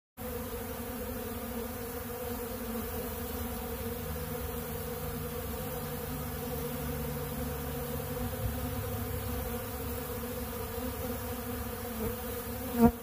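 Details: Honey bees feeding on bee pollen at a large blue pollen feeder, a steady low droning hum of many wings with layered tonal bands, continuous and even throughout, a brief click near the end.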